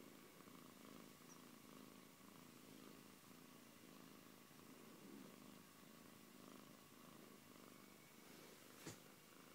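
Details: Purring Siberian cat named Antey, a soft even rumble pulsing with in and out breaths, with one brief sharp tap near the end.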